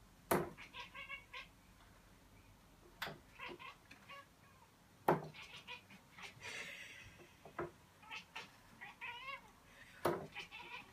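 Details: Playful pet cat at a traditional Finnish midsummer darts game, lurking at the darts and making barking noises at them; short stuttering chattered calls in bursts between sharp dart thuds and knocks, with quiet voices nearby.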